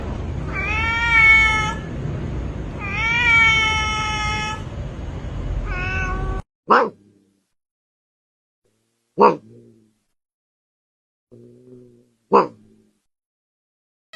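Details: Domestic cats meowing: two long, wavering, nasal meows, then a run of short, sharp, abrupt cries separated by silences.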